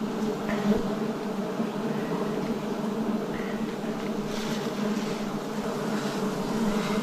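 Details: Continuous droning hum from many wild bees at a forest honey harvest in 2026, an even, unbroken low buzz with faint higher rustles and no other animals.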